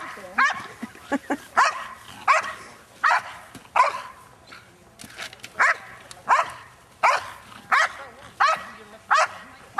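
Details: A 7.5-year-old female Belgian Malinois works against a decoy in a French Ring super selection at the 2009 NARA Championships, with a face attack and guard of object. It gives sharp, loud barks, about fourteen in ten seconds, in uneven bursts.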